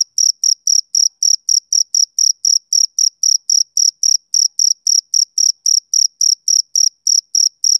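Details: High, ringing chirp pulses from a male cricket on a summer evening come in a brisk, regular run of roughly four per second from start to finish, with a clean, quiet background.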